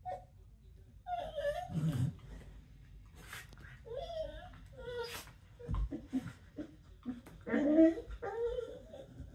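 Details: Corgis in mouthy "bitey face" play on the floor trade rough, grumbling play growls and nasal, whiny yips in short bursts.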